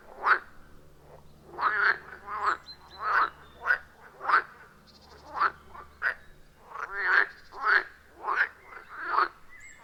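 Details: Chorus of frogs at a forest pond deep in the woods, iPhone 14 Pro with Shure MV88+: loud, short, rasping croaks burst out roughly every half second to second, uneven in rhythm, with quieter calls between.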